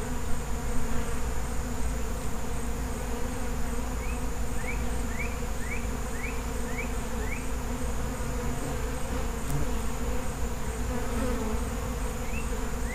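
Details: Feral honey bees in a colony give off an unbroken, deep humming buzz; a series of six brief rising bird chirps rings out midway, plus a single sharp click.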